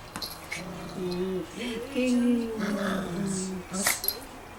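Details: Toy poodle named Da-Ji at play indoors, giving a drawn-out whiny, grumbling vocalization that wavers up and down for about three seconds, followed by a few sharp knocks and clicks near the end.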